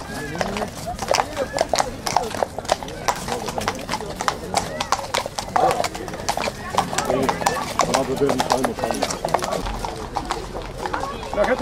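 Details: Horses, including Belgian draught horses, warmbloods and ponies, at a prize show during the annual fair in Vlezenbeek, Belgium; steady, busy hoof clip-clop clicks throughout, mixed with crowd chatter, voices and some background music.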